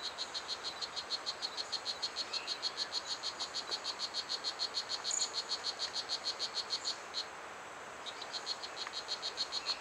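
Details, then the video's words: Strawberry poison dart frog, called Blue Jeans, a one-inch frog at Pierella Ecological Garden that is heard across the garden. It gives a steady series of short, sharp buzzy chirps, about three per second, over a hiss of background insects. "The Song of Blue Jeans - a Poison Dart Frog"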